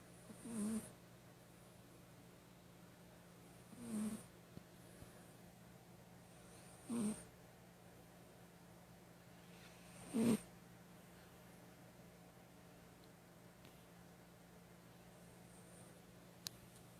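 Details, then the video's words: Female domestic cat snoring while asleep indoors: four soft, breathy snores, each about three seconds apart, over a steady low hum in a quiet room. "My Cat Snores"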